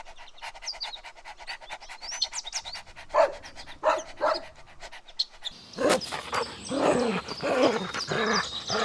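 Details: Puppies running and playing together on a lush green meadow: rapid panting-like breaths at first, then a few short harmonic barks, giving way to a dense run of excited yelping barks, with faint high bird chirps overhead.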